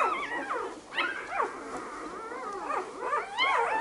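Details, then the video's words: Five-day-old Labrador Retriever puppies give high, thin whines and squeaks that slide up and down in overlapping bursts, while one adult Labrador "tells" another that she may not enter the whelping box. "Labrador Welpen 5 Tage alt. Luna "sagt" Lilli das sie nicht in die Kiste darf."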